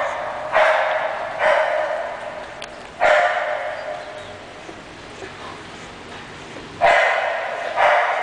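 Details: English Bulldog giving several loud, rough barks at uneven intervals, with a long quiet gap in the middle and a final pair of barks close together.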